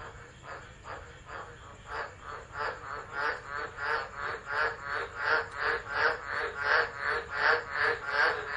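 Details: Tropical frogs singing through a storm at Driver in Australia's Northern Territory, 13 December, phone set down and left: grating croaks start softly, then build into a loud regular series about every 0.7 seconds.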